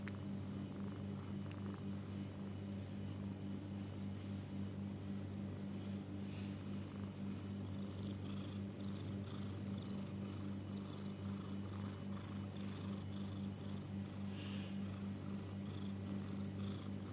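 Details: Pet cat snoring, possibly wheezing or having trouble breathing: a steady low rumble runs throughout, pulsing evenly at roughly two beats per second, with faint higher rasping above and no other sounds.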